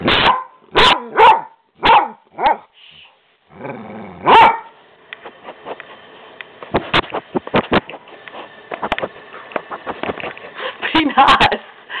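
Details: Skooter, a pet dog being mouthy and refusing to be quiet while talking back to his owner, gives a run of sharp barks and yips in quick bursts over the first seconds, then softer grumbling vocal sounds and a final bark.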